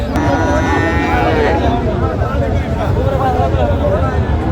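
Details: Friesian and crossbred bull calves for sale at Raniganj cattle market in Dinajpur, 25 January: a drawn-out, tonal moo in the first second and a half, then a steady crowd of voices and market bustle.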